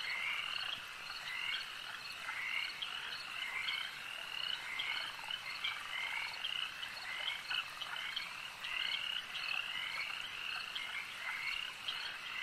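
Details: Many frogs at a lake croak at once, a steady shimmering chorus of trills in which clusters of louder, clicking calls surge and fade every couple of seconds.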